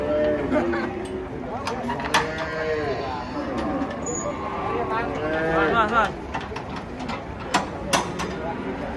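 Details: Several giant cattle, three animals, raging as they come off a truck at a busy market; overlapping low, arched moos mixed with steady human chatter and occasional sharp knocks.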